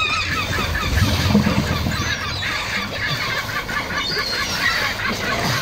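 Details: Crowd of sea lions at a beach in Coquimbo, Chile, giving rough, nasal honks and barks in rapid, irregular succession, many animals overlapping into a steady roar with deeper grunts underneath.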